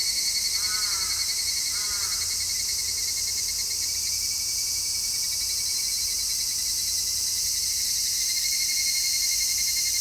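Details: Midsummer cicadas, captured in stereo on an MKH-416 microphone, fill the air with an unbroken shrill, sizzling drone, a steady whining tone running under it, and two short faint chirps early on.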